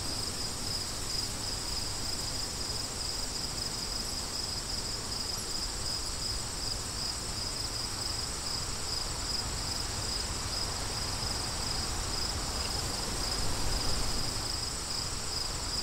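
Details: Crickets produce a clear, even, high-pitched pulsing chorus, rapidly repeated and steady, with a softer layer of wind rumbling underneath.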